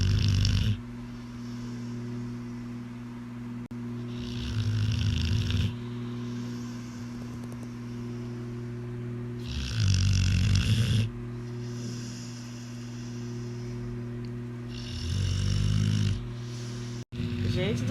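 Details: Pit bull named Ozzy snoring loudly while asleep: deep, rasping snores rising in broad bursts about every five to six seconds, with a steady low drone between breaths.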